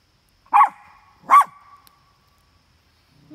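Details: Two dogs, Maximus and Pandora, bark at coyotes they smell close by at their campsite; two sharp barks about 0.8 seconds apart, each trailing into a faint whine.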